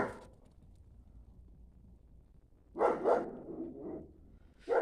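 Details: A German Shepherd bitch barking at the neighbours' geese she can smell but not see; one bark at the start, then a loud double bark with a trailing growly tail after a pause, and another bark at the end.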